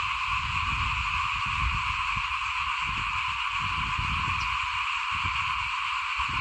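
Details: Small frogs calling in front of a house at rice sowing time in 2021, a dense steady chorus of overlapping buzzy calls in high and middle bands, with low rumbling background noise throughout.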